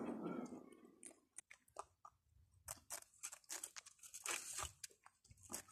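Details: Little rabbits eating food make quick, irregular dry crunches and crackles several times per second.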